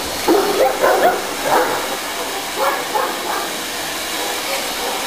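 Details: A young Tosa dog, 11 months old and 60 kg, plays with a vacuum cleaner, letting out a quick cluster of rough barks early on, then a few fainter yips over the constant motor drone.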